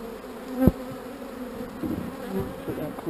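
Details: Honey bees hum steadily at an open hive during queen cell work. Their drone stays even and low, broken by a sharp knock from equipment and a few softer taps.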